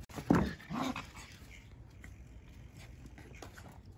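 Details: Five-week-old Australian Shepherd puppies exploring and playing indoors; one short whimpering yelp rises and falls, followed by a softer whine, then quiet room noise.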